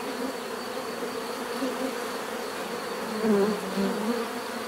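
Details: Natural buzzing of many bees, a constant layered hum that swells slightly louder near the end as individual insects seem to pass closer.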